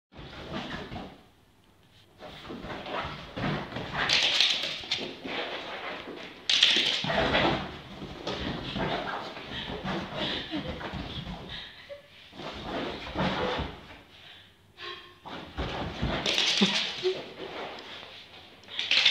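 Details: Billy, a 1-year-old Basenji reacting to the sound of a pan flute, yodels with warbling, wavering cries that rise and fall in uneven bursts, a so-called "Basenji 500."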